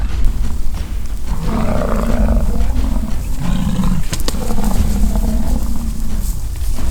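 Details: Fighting American bison in rutting season at Fort St. John, British Columbia, Canada, give drawn-out guttural roars, two or three long bellows overlapping over heavy low rumble, with a sharp knock near four seconds.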